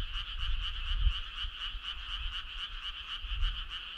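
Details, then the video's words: Frogs calling on a summer night: a dense chorus of rapid, pulsed, high croaks repeating several times a second without pause, over a low rumbling background. "Cool frog sound"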